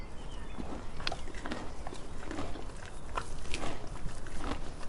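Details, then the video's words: Donkey eating, with irregular crunchy, crackling bites and rustles of food through the clip, over a steady low rumble of background noise. "Donkey Eating Sound Effect"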